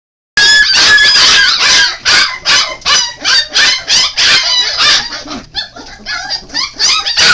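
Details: Five-week-old Golden Retriever and Alaskan Malamute mix puppies give a dense chorus of shrill, overlapping squealing whines and yelps, many rising and falling, repeated rapidly with brief gaps, growing sparser and softer toward the end.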